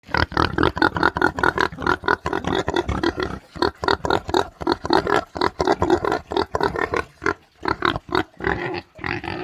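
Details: Pigs on a farm grunting and oinking in dense, overlapping bursts, a near-continuous stream of rough, noisy grunts with only brief pauses.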